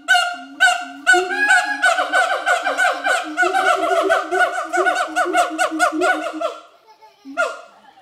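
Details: Mated pair of adult siamang gibbons at Schmutzer Primate Center giving their morning duet song, which advertises territory: loud, honking, harmonic barks in a rapid, uneven series of about two per second, a short pause, then one final bark.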